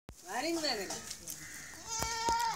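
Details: Pet goats: a quavering, harmonic bleat with a pulsing vibrato in the final second, after an earlier rising-and-falling voiced sound that may be a human voice.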